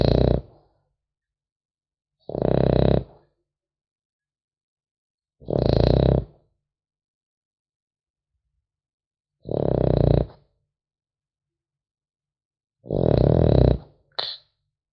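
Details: Sleeping French Bulldog puppy snoring steadily: five rough, buzzing snores each under a second long, spaced roughly every three to four seconds with silent pauses, followed by a short final snort.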